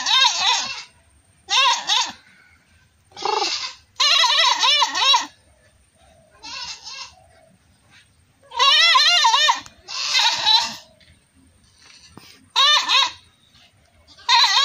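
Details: Goats bleating "maa maa", with repeated loud, wavering, quavering bleats in bursts of about a second, several in close succession, separated by short quieter gaps with faint background sounds.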